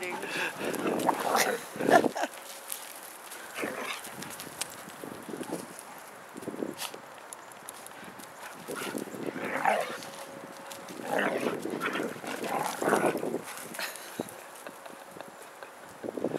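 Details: Mishka, a talking Siberian Husky, teaching a puppy a lesson: drawn-out, wavering yowl-like vocal bursts come in bouts around two and ten to thirteen seconds, with a man speaking between them and a faint steady tone beneath.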